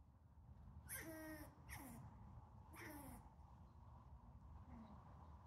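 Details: A dominant male eastern gray squirrel in a backyard, 19 May 2020, gives harsh, nasal, downward-sliding squawks while pursuing an uninterested female, possibly a mating call, over a low rumble.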